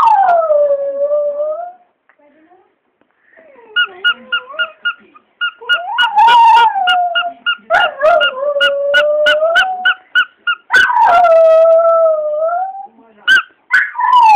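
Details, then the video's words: Border Terrier named Archie howling in reply to his squeaking toy. Drawn-out, falling howls alternate with runs of rapid, evenly spaced squeaks. A short quiet gap comes early, and a voice is faintly present. "My Dog Howling at Squeaky Toy"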